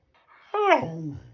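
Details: Shiba Inu dog addressing its owner indoors with a single rising then falling whiny, yodel-like vocalization that sinks into a low groan, lasting under a second.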